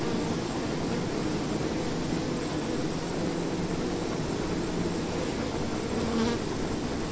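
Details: Honeybees in an observation hive, a dense, steady buzzing hum that runs unbroken throughout, with a thin, constant high whine above it and a faint tick near the end.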